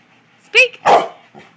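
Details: Household dog at night, commanded to speak, produces a brief rising whine-like yelp and then a single loud, harsh bark, with a faint softer sound trailing after; owner's voice praising nearby.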